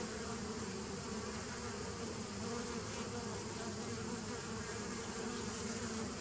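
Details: Honey bees humming on 27 September 2018: an even, continuous buzz with layered low tones and broad hiss, no pauses or other sounds standing out.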